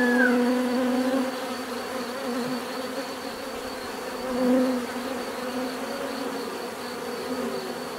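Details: Bees buzzing steadily in a continuous low drone, with louder hums swelling as individuals pass close near the start and around four seconds.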